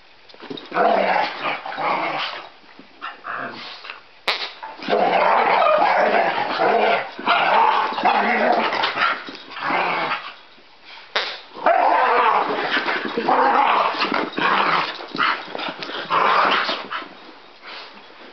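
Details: A Cockapoo and a possible Scottie mix, two pet dogs, playing: long stretches of harsh growling and grumbling with mixed barks, broken by short pauses around four, ten and eleven seconds, then loud again until the end.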